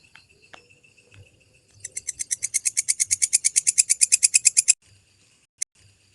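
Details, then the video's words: Walang kecek grasshopper (belalang kecek), clearly recorded as a master track for training songbirds: a steady train of sharp, high buzzy pulses lasting about three seconds, preceded by faint scratchy ticks and followed by a single isolated click. "MASTERAN BELALANG KECEK SUARA JERNIH"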